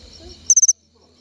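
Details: Cricket of the family Gryllidae calling by moving its wings. A brief, very high chirp of four quick even pulses follows a man's voice, then quiet.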